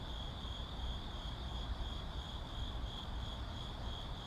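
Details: City ambience with crickets: an unbroken high-pitched trill runs the whole time above a dense low roar of traffic.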